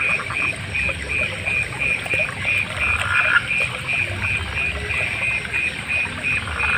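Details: Frogs and other night animals: a rhythmic chorus of bright, clipped notes about three per second, with a fuller croaking burst midway and near the end, over a continuous high-pitched hiss.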